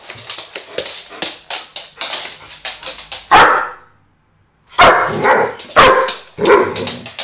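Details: A dog named Vito barks loudly, first in a quick series of lighter yaps, then after a short silence in several heavy, forceful barks.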